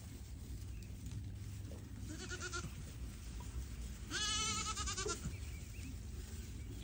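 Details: Young Pygmy goat on a farm in Knoxville, Tennessee, USA, giving a short wavering bleat followed by a louder, longer quavering bleat, with steady low background hum.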